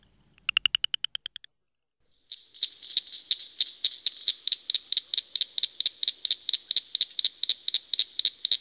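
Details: A frog makes a short burst of loud clicking pulses, falls silent, then gives a long, steady rattling series of evenly spaced pulses at about three per second.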